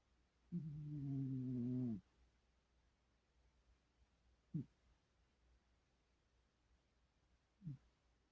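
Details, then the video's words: Dreaming cat asleep, letting out a drawn-out low hum of about one and a half seconds that sags slightly in pitch, then two short soft grunts spaced about three seconds apart in a quiet room. "Kitty dreaming and snoring"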